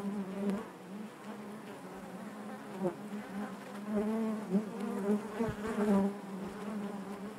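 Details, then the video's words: Honey bees buzzing inside their hive, a dense steady drone with a strong low hum and stacked overtones, swelling and fading as individual bees pass close, with a few sharp clicks. "bees therapy hive natural buzzing sound"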